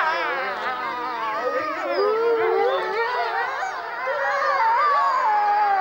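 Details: A pack of gray wolves, including a black wolf, howls together, many long wavering voices overlapping and sliding up and down in pitch.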